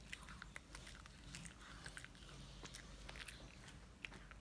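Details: Shih Tzu named Mylly gnawing a dental stick, producing rapid crisp bites and crunches every fraction of a second, irregular and snappy, over a low indoor hush.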